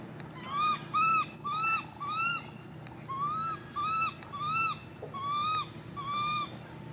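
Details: Baby monkey crying out in a steady series of nine clear, arched whistle-like cries, each rising then falling, with bright overtones, spaced roughly every 0.7 seconds over a low background hum.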